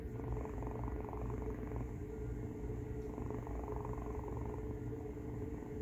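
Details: Indoors, a domestic cat makes a loud snore-purr as a second cat looks on. The low buzzing rumble runs throughout in long breath cycles, and a steady background hum is present.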